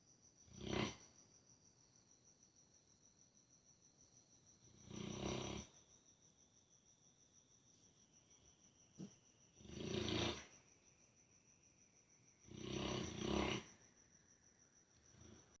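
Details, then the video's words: Buddy the dog snoring while dreaming: four deep, rasping breath bursts spaced roughly four seconds apart, each about half a second to a second long, with a faint steady high whine in the background. "Dogs dreaming, snoring and farting"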